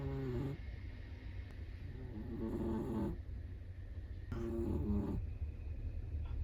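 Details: A Chihuahua snores in its sleep, rough nasal breaths roughly a second long alternating with quieter pauses, over a constant low hum.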